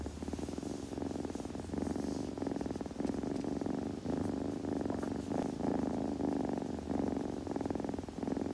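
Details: Close, rumbling purr from a kitten being groomed, pulsing evenly in breath-length cycles, with light licking and rustling noises layered on top.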